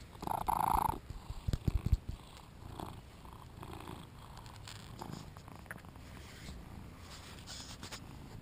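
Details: Two-year-old male British Shorthair named Shinobi, a very vocal cat, during play, filmed on a GoPro: one short meow near the start, then low, soft purring with rustling handling noises.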